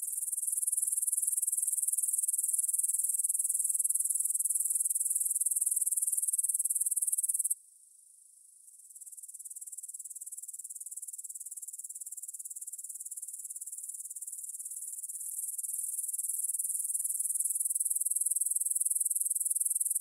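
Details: Grasshoppers stridulating in a meadow field near the Svensky monastery in Bryansk, Russia, at 9 pm on 6 September 2020, recorded in stereo on a Tascam DR-44WL: a steady, very high hissing chorus that briefly drops out near the middle, then swells back.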